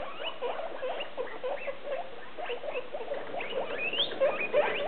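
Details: Six hungry guinea pigs in holiday cages just before dinner time, a dense chatter of overlapping squeaks and short chirps with one rising whistled squeal near the end; no other sounds.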